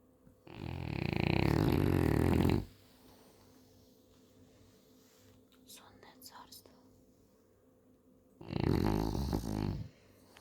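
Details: French Bulldog snoring at nap time indoors: two long, rough, low rasping snores roughly six seconds apart, each lasting about two seconds, with faint soft rustling in the quiet between them.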